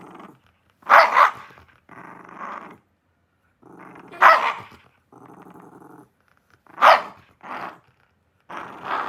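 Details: Shiba Inu in a small room alternating low, rasping growls with sharp, loud barks, growl and bark trading back and forth several times over nine seconds.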